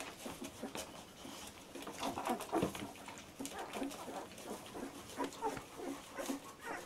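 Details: Labrador Retriever puppies aged 14 days, one litter: scattered high whimpers and squeals, one louder squeak near the middle, amid constant rustling and snuffling.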